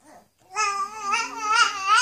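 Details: A Bichon Frise singing along with a companion, giving a sustained, wavering howl that rises slightly toward the end.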